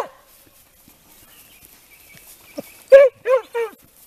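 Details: Italian Segugio hounds in training on hare give a few loud, drawn baying yelps near the end, after a quiet stretch with faint rustling.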